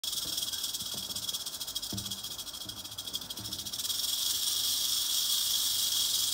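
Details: Albino male western diamondback rattlesnake rattling: a steady, high, dry buzzing hiss held throughout, growing slightly louder after four seconds, with a few faint low knocks early on.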